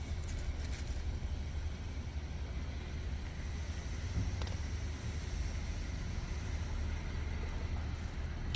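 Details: Steady low traffic rumble of passing vehicles outdoors, with faint distant voices and no animal calls.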